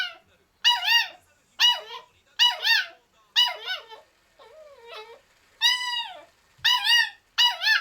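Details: Caged young male Kaninchen Dachshund, black and tan, pleading to be let out for attention: clear, bright, wavering whines, each bending up then down, coming roughly once a second, with one softer, lower murmur midway.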